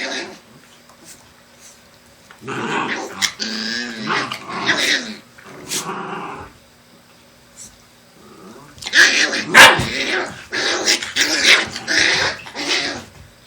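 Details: Black Shiba Inu mother with her puppies, vocalizing in harsh, broadband bursts of growls and yaps, clustered around two to six seconds and again from eight and a half to thirteen seconds, separated by near-silent gaps.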